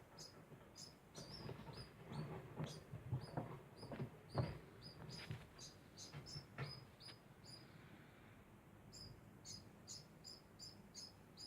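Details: Degu making a constant sound: short, sharp chirps repeated in quick irregular bursts, roughly every second, with high squeaky tones and soft low thumps underneath, fairly faint against a quiet background hiss.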